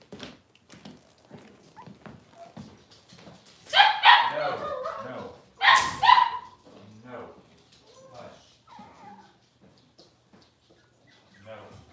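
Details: Six-week-old Cavalier King Charles Spaniel puppies in a pen getting dewormed and toenails trimmed. Soft whimpers build into two loud bursts of harsh yelping squeals a couple of seconds apart, with a person talking quietly throughout.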